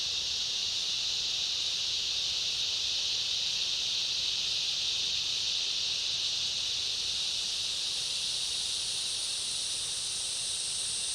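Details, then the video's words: Cicada chorus in a summer rainforest, with other insects: a dense, unbroken high-pitched shrill buzz that holds steady throughout, with a second thinner, higher band laid over it and no other clear sounds. "Summer rainforest ambience, cicada chorus and other insects"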